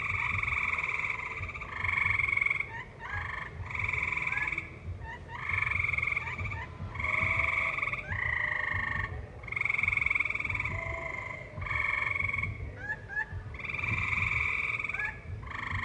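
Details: Tree frogs in a valley call in loud, nasal, buzzy bursts about a second long, repeated with short pauses, alongside live music.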